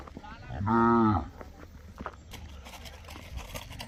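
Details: A single short, tonal moo from one of ten Mysore/Khillar calves brought from Karnataka to a tethered row in Gondgaon, Beed district, Maharashtra, followed by rustling and handling noises.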